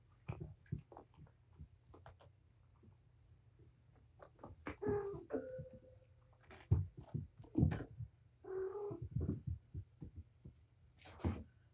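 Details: Patience, a domestic cat surrendered to Purrfect Pals, plays indoors with her five young kittens, four males and one female; short harmonic mews rise and hold briefly amid bumps, thuds and scuffling of the play.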